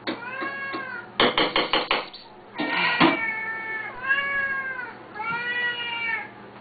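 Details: Two loud Siamese cats calling at feeding time, a show they put on three times a day: drawn-out harmonic meows, some rising and falling, plus a quick burst of choppy cries, with clinks and knocks in the room.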